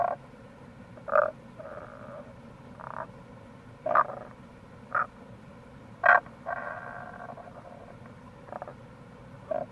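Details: Rana tagoi, Tago's brown frog, in the wild near a gorge at Kamo River, Itoshima, Fukuoka, Japan, in April: sharp clucking croaks every second or so, some followed by a softer trailing purr, with flowing water behind.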